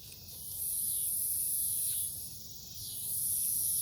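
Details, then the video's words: Night-time cicada chorus in woods beside a farm, Omaha, Nebraska, 08 03 2021. Shrill high-pitched buzzing rises and drops away in broad waves, with a fainter lower buzz beneath and a steady low background hum. "Forest near the farm at night, cicadas"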